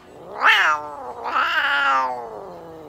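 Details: Russian Blue cat being treated at an animal clinic in Nagoya, Japan, with light therapy, an injection, a moisturising tea tree oil spray and brushing. It gives two clear meows: a short rising-then-falling one, then a longer, wavering, drawn-out one.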